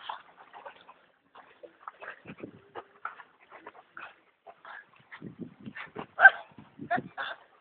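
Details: A dog at B&B Torricella, recorded with Brad and Olivia "Olly" on 19 June 2011 at 16:18. Short, scattered huffs and low grunting bursts come in irregular clusters, growing denser and louder toward the end, with faint voices in between.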